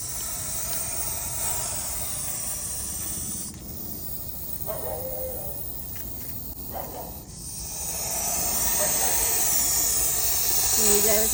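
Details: Venomous snake trapped under a bucket, coiled and hissing loudly; a steady broadband airy hiss runs throughout, strengthening toward the end, with faint brief tonal sounds in between.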